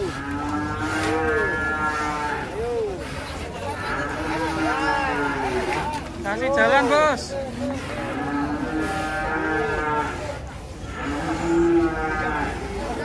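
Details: Giant cattle, described as raging, coming down from a truck: repeated loud moos with rich harmonics and rising-falling arcs, several animals calling over one another with overlapping drawn-out bellows throughout.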